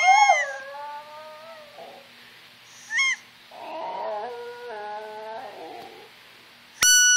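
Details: A pet Yorkshire Terrier named Brooke howls to squeakers: a falling howl opens, a brief squeak follows, then a wobbling, whimpering howl with broken tones, ending with a sharp squeaker blast.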